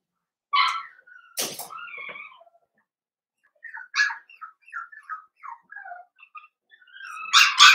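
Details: Whines and squeaky little cries from Blenheim Cavalier King Charles Spaniel puppies in their pen, part of a New Year's litter of five. A sharp knock comes early, a string of short rising squeaks follows, and the clip ends on a louder yelp.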